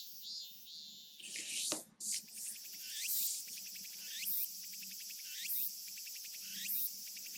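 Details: Real cicadas recorded in Japan during summer: a shrill high-pitched buzzing chorus with sweeping, rising-falling phrases repeating roughly every second, broken by a loud rustling burst near the start.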